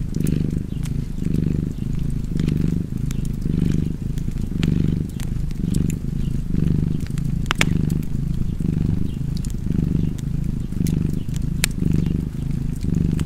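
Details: A purring cat keeps up a long, even, low vibrating drone that swells with each breath about once a second, accompanied by faint popping and crackling of a fireplace.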